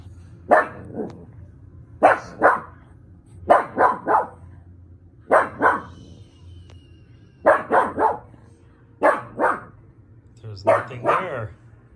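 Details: Mishka, a pug, barking in repeated bursts of two to four sharp, short barks separated by pauses of about a second, with a low steady hum in the background.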